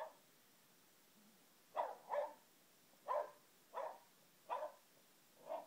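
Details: Boxer dog Hatton barks repeatedly: six short, punchy woofs in loose pairs and singles, roughly one every second, with quiet gaps in between and no other sounds.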